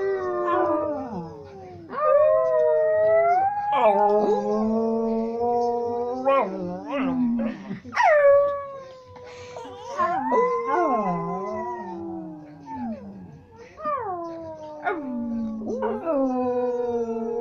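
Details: Singing dog producing a long run of howls and whines, tones sliding down and up in pitch, with short yelps between phrases and brief pauses.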